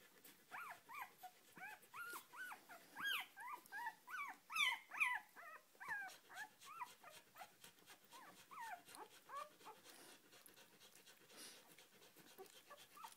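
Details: Four-day-old Australian Shepherd puppy being petted, giving rapid high squeaky whimpers and squeals, short rising-falling chirps repeated about twice a second, louder in the middle then softer, in a quiet indoor setting.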